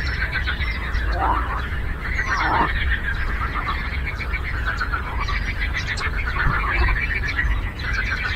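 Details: Frog chorus on a lake, a constant mid-pitched pulsing din with a couple of sharp, louder croaks near the start, one faint high whistle, and a low steady rumble underneath.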